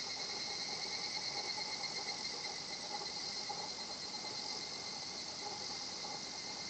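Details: Higurashi cicada singing at a quiet natural spot in Japan: a steady, dense, high shimmering drone holds throughout, with fainter sustained tones lower down and no other clear sounds.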